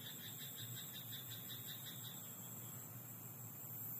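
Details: A frog in a rice paddy at night, its pulsed croaking fairly soft and fading after the first couple of seconds into a steady high-pitched hiss and low rumble.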